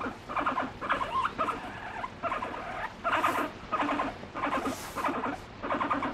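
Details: Affectionate pet guinea pig expressing feelings toward her owner with a run of loud, evenly spaced squeaky chutting notes, each burst stacked with harmonics, about two per second, in a quiet room.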